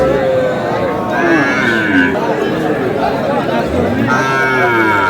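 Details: Young Sahiwal bull calves at a Bangladeshi livestock market; brief, mid-pitched lowing calls come and go in the middle and at the close, largely buried under busy bargaining voices and market crowd noise.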